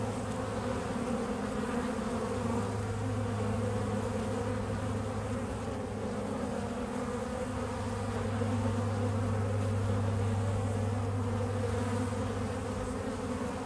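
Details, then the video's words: A low, constant hum of bees busy pollinating flowers, the droning buzz rising and fading gently in loudness across the recording. "The Buzzing Sounds of Bees"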